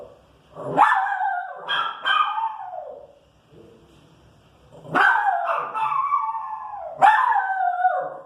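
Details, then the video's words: Irritated female Pinscher reacting to street noise: sharp barks dropping into drawn-out falling whining howls, two clusters with a quiet gap between. "Pinscher irritada com barulho na rua"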